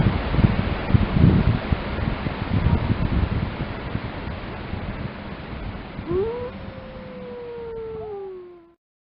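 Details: Grey wolf from the Lamar Canyon Pack, Yellowstone: a long stretch of low rumbling and rustling noise, then one clear howl that lifts steeply and slowly falls, with a fainter second voice above it.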